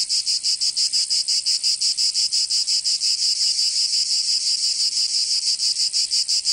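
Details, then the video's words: Provençal cicadas in summer, southern France, producing a shrill rasping drone broken into quick even beats roughly three per second, continuous and unaccompanied. "Canto Cigarra 🦗 [ Escuchar les cigarras en verano 10 H]"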